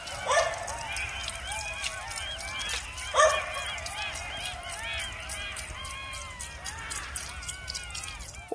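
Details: Jackals in a forest near a village in Turkey chorus together, overlapping wavering wails and yips rising and falling, described as unlike either a cat or a dog.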